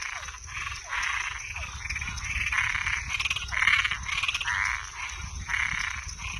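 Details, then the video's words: Nocturnal frog chorus of toads and tree frogs, rough croaking blocks alternate with a faster rattling trill midway, steady high hum in the background. "Som de animais noturno Sapo e perereca"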